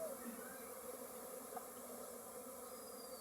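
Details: Thousands of honey bees at a courtyard hive kept for honey collection, foraging on mustard fields; steady soft droning buzz throughout, with a few faint thin tones drifting over the hum.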